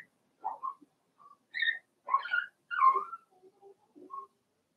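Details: Indoor pen of four-week-old Cavalier King Charles Spaniel puppies belonging to Daisy; scattered short whines, a few louder rising squeals and soft low yelps between pauses.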